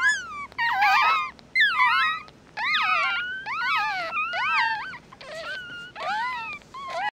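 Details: Several newborn mixed-breed puppies from one litter, eyes still closed, squeal and whine together; high, bending, harmonic cries sweep up and down in overlapping bursts about once a second, nearly continuous, indoors.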